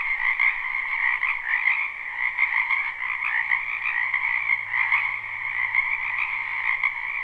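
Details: Spring wetland frogs in full chorus, recorded live without looping: many callers blend into a constant, shimmering wall of rapid croaking pulses, a lower and a higher band, gently swelling throughout.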